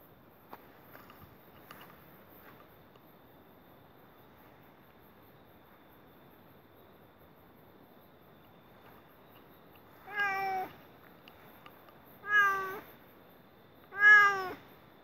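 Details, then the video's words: Cat calling during mating at night; after a long quiet stretch of faint background hiss, three short, harmonic, slightly falling meows sound about two seconds apart. "Why cats are crying tonight | Cats Mating video with clear original sound"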